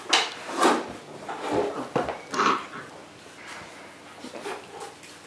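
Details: Six-week-old Neapolitan Mastiff puppies from one litter, indoors and watched over by their father Neo and two-year-old sister Boo during play. The puppies give short, high whimpering squeaks among scuffling, bumping noises.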